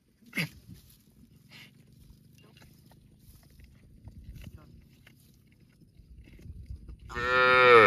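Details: Cow in a park: a brief sharp cry near the start, then several seconds of low rumbling background, ending with a loud harmonic moo that starts abruptly in the final second.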